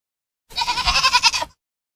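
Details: Farmed goat giving a single quavering bleat of about one second, its loudness pulsing rapidly, strongly harmonic and bright, with a faint low thump near the start and otherwise quiet surroundings.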